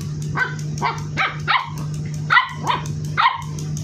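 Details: Labrador Retriever puppy, only 58 days old, described as aggressive, barking indoors: about seven short, sharp, high barks spread over four seconds at an uneven pace, with a steady low electrical hum underneath.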